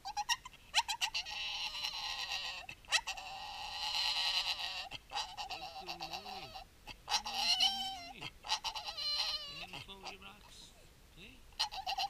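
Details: Staffordshire Bull Terrier talking with its owner indoors about its rocks; long nasal wavering howl-like grumbles and yodels rising and falling, with a person's voice telling it to use an inside voice.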